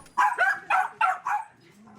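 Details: Shelter dogs barking at an animal shelter in Paju, South Korea; their barking is described as meaning they want to get even a little closer to people. Five sharp, rough barks come in quick succession over about 1.3 seconds, then quiet.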